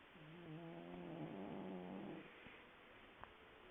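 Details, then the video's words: Deeply sleeping house cat: a single drawn-out, low, rattling snore of about two seconds with a slightly wavering tone, followed by quiet breathing and a soft click. "Snoring Cat"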